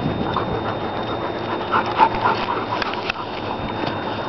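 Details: Long-coated German Shepherd of a kennel pack pants quickly and evenly, about four breaths a second, harsh and airy. A faint steady high tone runs underneath.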